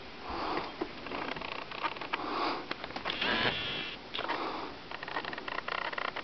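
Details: Kitten sniffing indoors, a run of breathy, noisy snuffles in short bursts and longer swells, with light pattering and small handling noises between them.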